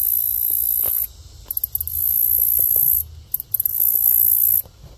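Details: A green grasshopper sings a very high, hissing buzz in bursts of about a second, with short stuttered pulses between.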